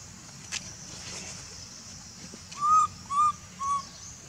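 A baby monkey gives three short, clear, whistled coos, calling its mother for milk.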